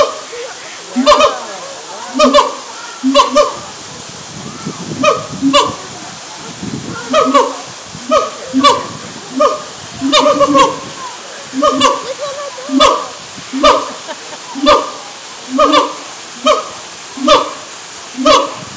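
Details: A siamang at a zoo in Tampa, Florida, in the morning gives loud, honking barks that settle into a steady series, roughly one each second.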